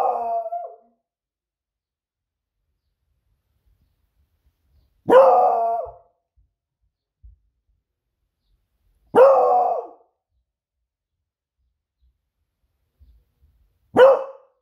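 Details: Pet Beagle Smudge excitedly alerting that her owner is almost home from surfing; drawn-out baying barks with wavering tone, repeated roughly every four seconds, quiet between.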